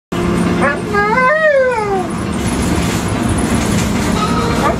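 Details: An Alaskan Malamute inside a camper gives a rising-and-falling, sing-song howl over a steady engine-like hum.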